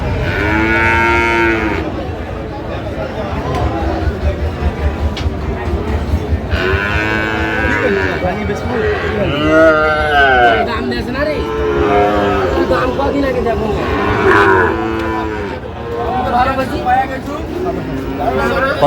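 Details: Sahiwal bull cattle at Ambari livestock market, Bangladesh, 18 August 2025, bought by a farmer from Barisal; several loud, drawn-out harmonic moos in sequence, some rising then falling, over steady crowd chatter and market bustle.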